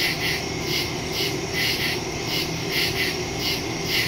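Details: Woodland crickets at night, September 2, 2023, phone recording with stereo microphone: rhythmic bursts of shrill chirping layered from several insects, steady background drone underneath.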